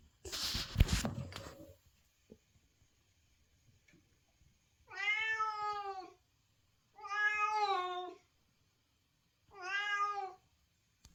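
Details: White domestic cat in heat, calling out for a mate: three drawn-out, strongly harmonic meows, each about a second long and spaced roughly two seconds apart, following an opening burst of loud rustling noise.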